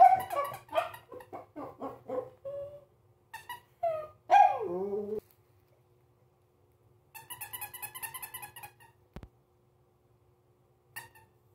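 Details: A Pomeranian, unsure of a new squeaky toy, gives a burst of high, yappy barks, then a falling whine, with squeaky toy sounds later.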